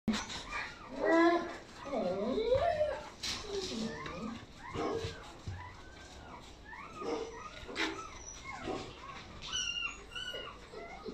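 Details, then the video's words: Laizhou Red Dog, a Chinese native dog, giving high, arching whimpers and yelps in irregular bursts, some gliding up then down, with a few sharp clicks and possible voices in the background. "Chinese Red Dog, Laizhou Red Dog, Chinese Native Dog"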